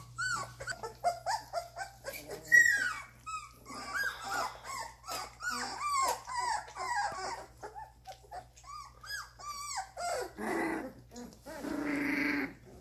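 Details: Several Doberman puppies at two and a half weeks old, learning to sit up and move, give a dense run of short, high whimpers and squeaks, overlapping and irregular, with a low electrical hum underneath.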